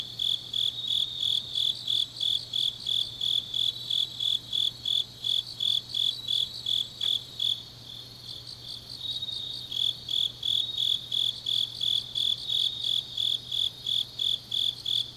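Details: Grass insects calling on a deep autumn night in Changnyeong, South Gyeongsang Province: rapid high chirps about three per second, briefly softening midway before resuming, with other insects trilling behind and a steady low hum.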